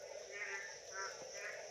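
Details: Frogs croak in a chorus, with bursts repeating about every half second over a steady hum, at 6:10 am on 15 July 2025 in Choupahari forest, Birbhum, West Bengal, India, after all-night rain left pools in low ground, with light drizzle.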